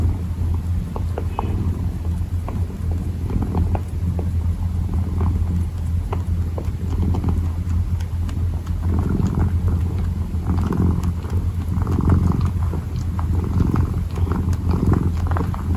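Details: Purring kitten kneading, a low drone running throughout with soft rhythmic swells, overlaid by scattered light tapping and scratching sounds from the kneading paws.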